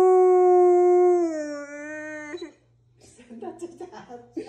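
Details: A female Old English Sheepdog gives her first howl, long and steady, sagging lower in pitch before breaking off, in response to her owner squeezing a dog toy.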